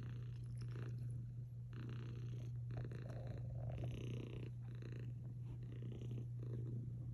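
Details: Domestic cat purring while snuggled up with a Belgian Malinois dog indoors; a steady low rumble runs throughout, swelling and fading in roughly one-second breathing cycles, with soft rustling on top.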